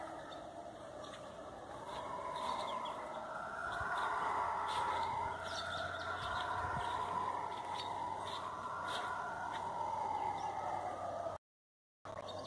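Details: Forest howler monkeys calling together, a haunting rolling roar rising into louder surges and easing back, continuous for most of the clip before a brief cut of silence near the end; faint low hum underneath.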